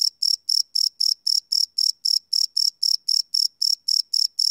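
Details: Crickets chirping at night, recorded live on a field recorder: a steady series of short, high, ringing pulses repeating about four times per second, with nothing else audible.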